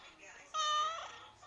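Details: Pet cat indoors giving one clear half-second meow, tonal with stacked harmonics and slightly falling at the end, while a woman talks to it before and after.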